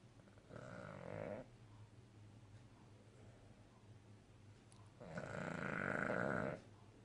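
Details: A Cavalier King Charles Spaniel snores while sleeping contentedly, giving two long, buzzy, rattling breaths a few seconds apart. Cavalier King Charles Spaniel.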